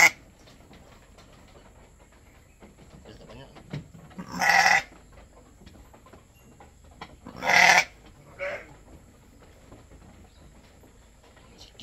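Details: Domestic goat during milking for a newborn kid: two loud, harsh, broadband bleats about three seconds apart, followed by a shorter, fainter one, over quiet background talk and handling noise.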